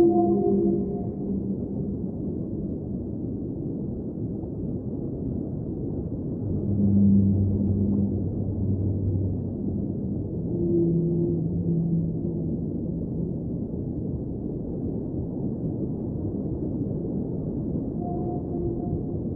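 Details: Whale song in an underwater ambient soundscape: long low moaning tones and sustained hums, some steady and some gently wavering, rising and fading over a constant rumbling background wash.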